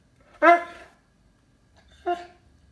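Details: Indoor Cane Corso Loki, hunting for a toy he chewed to pieces, gives a strong deep bark followed about one and a half seconds later by a shorter, softer one; room otherwise silent.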